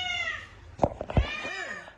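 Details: Rescued street cat on treatment for cat flu and mycoplasma, breathing easier: a short harmonic meow opens, followed by a few sharp clicks and thumps, then a softer arched mew near the end, indoors.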